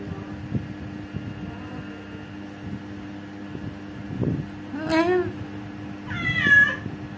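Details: Orange cats visiting a home, with two short meows late in the clip, the second higher and wavering, over a steady low hum and faint background voice.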